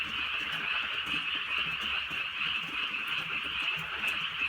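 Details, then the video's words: A rainy night in the countryside carries a thick frog chorus, steady high rasping croaks blending into one continuous pulsing hum, light rain audible underneath. "개구리 소리"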